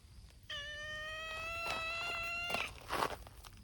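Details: Long drawn-out meow from a brown-tabby-and-white cat at a noisy outdoor gathering of abandoned community cats in Japan, a steady harmonic cry lasting about two seconds, followed by footsteps and rustling.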